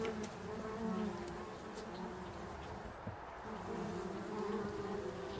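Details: Bumblebees buzzing around foxgloves in an English country garden while pollinating flowers; a steady low hum with a drone near 200 and 400 pitch bands that rises and falls as bees move, over soft background rustle.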